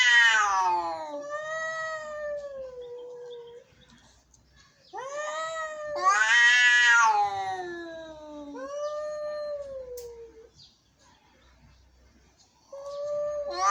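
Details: Angry cats caterwauling: a series of drawn-out, descending, harmonic wails, some harsh and loud, others softer and sustained, with quiet gaps between the outbursts.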